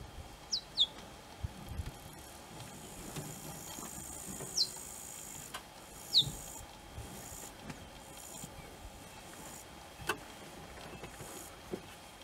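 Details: Cheetah cubs calling for their mum: a few thin, high descending chirps, two close together early then others well spaced, against a hissy, noisy outdoor background.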